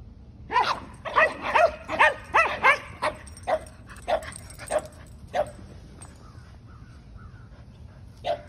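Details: Dog barking in a yard where Kumo the Keeshond has zoomies, racing and making hairpin turns while his brother Sully the Boston Terrier chases him; a fast burst of about eight sharp barks, then single barks spaced out.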